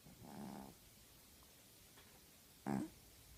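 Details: Female tabby house cat asleep and snoring, with one low, raspy, buzzing breath of about half a second. A short, sharper snort follows two seconds later against a quiet background.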